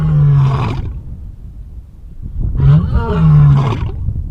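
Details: A lion in a zoo gives deep, rumbling roars, two heavy bursts with a pause between them.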